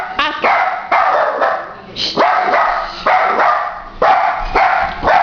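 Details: A three-legged dachshund with one leg in a cast barks at a plumber downstairs while hopping around, in loud, sharp bursts, several in quick succession.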